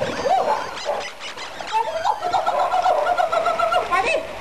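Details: Bull Terrier named Milky, giving a drawn-out, high, wavering whine in sustained tonal strands that rise and fall, with a short break near the start and faint background noise.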